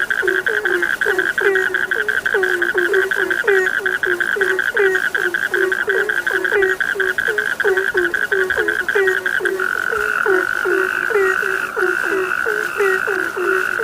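A dense night chorus of frogs, short croaks repeating rapidly over a steady high trill.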